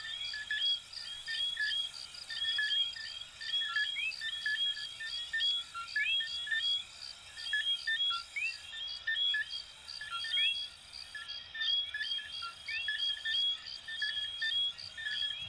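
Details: Sustained chorus of coquí frogs, Venezuela and Puerto Rico, with countless short whistles and upward-sliding notes pulsing roughly once a second in uneven waves, backed by an unbroken high-pitched buzzing drone.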